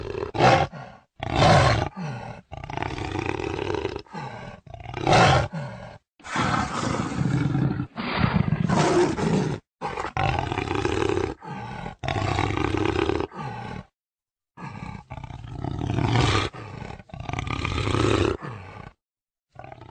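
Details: Jaguar uttering a long run of harsh, low rasping roars, about a dozen throaty bursts in quick succession with brief pauses between them; no other sounds stand out.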